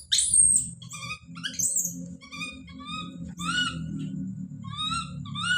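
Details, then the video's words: Baby monkey Don calling out nearly continuously: shrill screams and many short, wavering, harmonic cries over a steady low rumbling background. "The sound of baby Don's scream as he called out"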